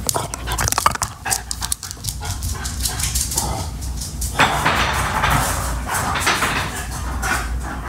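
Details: Max, a French Bulldog, works on a beef-flavored Nylabone chew toy. Rapid clicking chews at about four per second, then rougher broadband huffing breaths in the second half.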